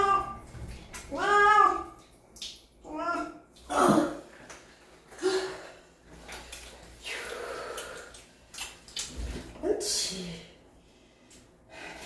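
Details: Domestic cat being bathed indoors, giving several drawn-out harmonic meows early on amid human speech and splashing, running bath water.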